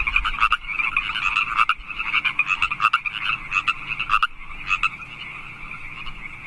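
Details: Night chorus of wild California Park frogs in March, rapid rattling croaks layered together, with several louder bursts rising above the steady background trill.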